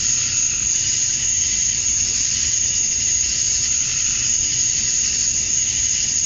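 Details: At dusk on a summer night in Georgia, USA, male cicadas chirp to draw in females, producing a dense, constant, high shrill hum with a thin piercing whistle above it and nothing else heard.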